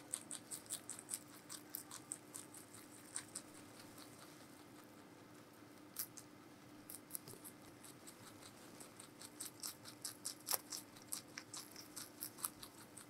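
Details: Meonji, a giant rabbit at Alpaca World, munching vegetables in a close ASMR recording: rapid crunchy chewing repeated about once a second, pausing midway and then resuming, over a faint steady indoor hum.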